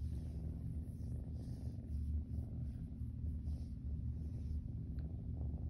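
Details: Siamese kitten lying on his back purring during belly rubs: a steady, deep, rumbling purr that runs without a break through the whole clip.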